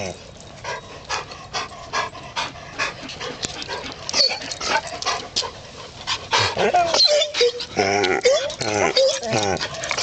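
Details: An elderly debarked Basset Hound/Golden Retriever mix barks as hoarse, breathy huffs in quick succession, gasping for breath between them, a common side effect of debarking.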